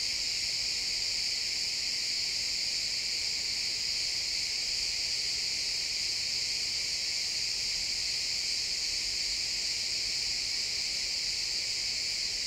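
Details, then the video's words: Steady insect chorus of crickets in pine woods at sunset, countless shrill chirps merging into a constant ringing hum that holds level throughout, stereo field recording in real time. "Cricket sounds in the pine forest"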